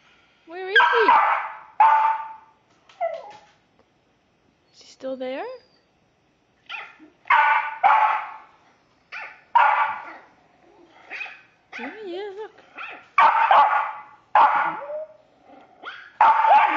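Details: Pet Westie reacting to an animal on a television screen, letting out loud harmonic barks in spaced bursts with rising whimpering yelps between them; a person's voice is also heard.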